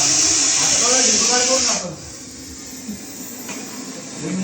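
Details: Large Russell's viper (ghonas) found sitting in a parking area during a rescue, giving a loud, steady, airy hiss for nearly two seconds before it cuts off abruptly, with a man talking over it and quieter background noise afterwards.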